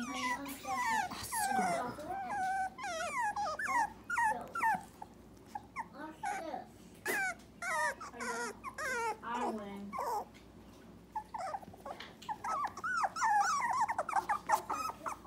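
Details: Three-week-old Dachshund puppies from Myrtle's O litter, very vocal and unhappy to be away from their mother: a rapid stream of short, high, wavering whines and yelps, many pups overlapping, with a human voice faintly underneath.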